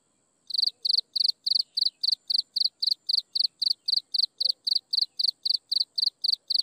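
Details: After a brief silence, insects at sunset begin a fast, regular chirping, sharp high pulses following one another several times a second over a steady faint high-pitched hum.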